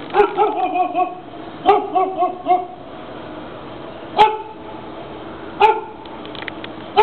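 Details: Neighbour's dog, called ugly and annoying, barking repeatedly: tonal, yappy barks in quick runs of three or four, then single barks about every one and a half seconds, while a man's voice urges it to relax.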